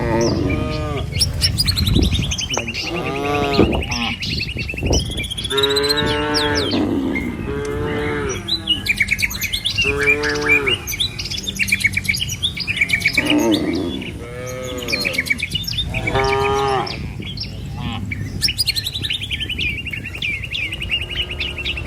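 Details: Cattle walking as a herd down a rural village road toward the shed. Repeated bellowing moos follow one another through the whole stretch, some overlapping, with chirping birds and steady background rumble.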